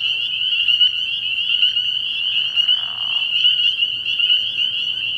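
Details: Spring peepers calling in a dense night chorus at a frog pond early in the year: countless high, shrill peeps merge into a steady ringing band, with individual notes flickering above it throughout.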